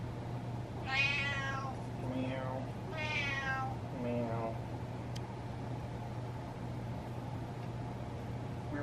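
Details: Demanding meows from Butters, a male house cat seeking what he wants: two loud, bright, harmonic meows about two seconds apart, each followed by a softer lower meow or voice, over a constant low electrical hum.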